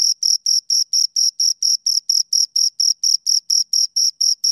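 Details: Shrill, evenly spaced chirps from two crickets heard close by, each short buzzy pulse following the last at about two per second, clean background.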